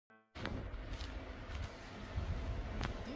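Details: A brief electronic tone opens, followed by a continuous low, rough mechanical drone like an air pump running. No animal voice is heard.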